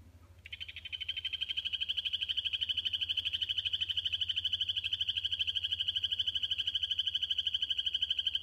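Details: Territorial calling by a captive male Kokoe poison frog, bred at the Tesoros de Colombia Sustainable Farm, aimed at his vivarium mates. A long, unbroken, high-pitched buzzing trill of rapid regular pulses lasts about eight seconds, with a steady low electrical hum beneath.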